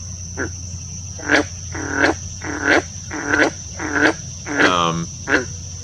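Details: A green frog, an abundant prolonged summer breeder in standing water of the Eno River watershed, gives a series of low, twangy, plucked notes, each short and repeated about every half second.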